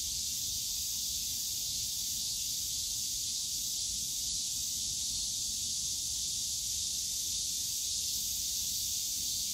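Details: Cicadas in the bamboo grove of Yongsan Family Park on a summer day: a dense, steady high-pitched hissing drone that never breaks, with a low rumble of park background noise underneath.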